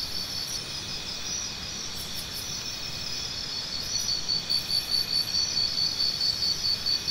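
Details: Crickets in a high, unbroken chorus. A few faint ticks sound early on. In the second half a nearer cricket starts a regular train of bright, sharp chirps at a fast, even pace over the constant drone.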